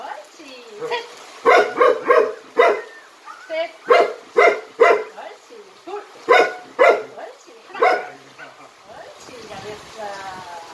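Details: Jindo dog named Jinmyeong in Jindo County, a trick dog doing jump-rope tricks, gives about a dozen sharp, ringing barks in quick bursts, some in pairs, with a person's voice speaking in Korean between them.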